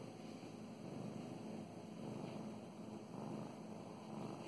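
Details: Domestic cat named Mow Mows, female, purring while being petted; a steady low rumbling purr with faint rustling of stroking hands and a constant background hum.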